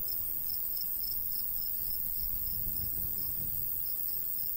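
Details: High, even chirps from crickets in a summertime countryside wheat field, repeating about three times each second, accompanied by a gentle breeze that rises midway.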